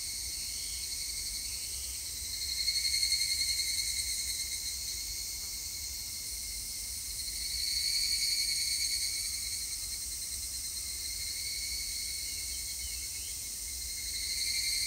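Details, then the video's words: Evening cicadas in song on 3 August 2021: an unbroken, high, ringing insect drone that swells in loudness roughly every five seconds and then eases off, with faint bird calls beneath. "セミの鳴き声 ひぐらし"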